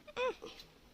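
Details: Roadside-abandoned kitten after a milk feed: a single short falling mew followed by a faint second squeak, with quiet room noise.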